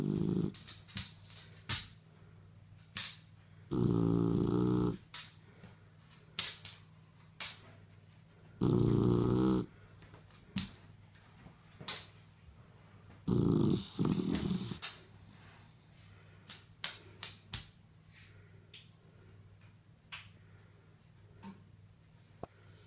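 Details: Kaiser, a five-month-old Shar Pei puppy, snores in his sleep. Loud, low, rasping snore bursts come roughly every four to five seconds, with many sharp clicks and small knocks scattered between them.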